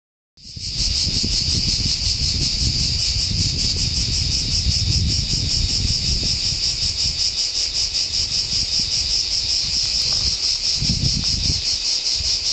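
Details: Cicadas singing deafeningly in a pine forest at San Sostene, Italy: a dense, continuous shrill buzz with a fast rapid pulsing throughout, starting abruptly after a brief silence, with low rumbling background noise.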